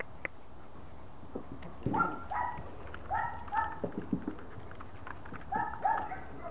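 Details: Border Collie puppies playing in a garden on Holy Thursday: bursts of high, squeaky yips in pairs, about six over several seconds, among scuffling and clicking noises.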